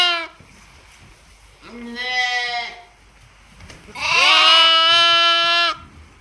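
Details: Lambs, twin sisters, at a Hokkaido sheep farm near Ishikari, Japan, calling with three bleats: a short one, a medium rising-falling one, then a long, loud, strained bleat lasting almost two seconds.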